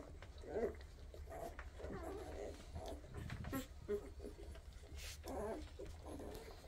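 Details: Scattered high squeaks, a brief rising whine and soft grunting come from a group of young Weimaraner puppies, born in 2023, against a faint continuous hum.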